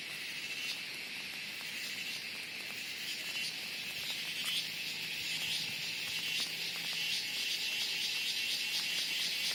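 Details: Cicadas calling loudly just before rain during the monsoon in the Western Ghats; a dense, high, continuous shrill buzz with rapid pulsing that holds steady throughout, slightly swelling toward the end.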